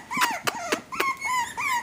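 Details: Cloe's young AKC Havanese pups, one girl and three boys, whine in quick high notes that rise then fall, several in under two seconds, each with clear overtones.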